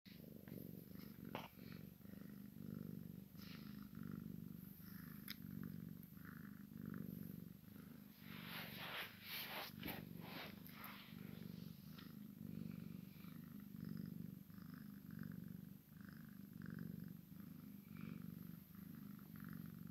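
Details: Maine Coon x Sphynx kitten playing with its mother indoors: a steady, low rumbling purr runs unbroken through the whole recording, with brief rustling and scuffling bursts from the play, loudest midway.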